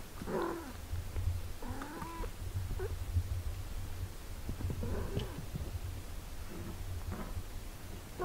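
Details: Cat nursing and tending her six-day-old kittens: several short mews, one sliding upward then flattening, spaced among soft rustling and clicks, with a continuous deep hum beneath.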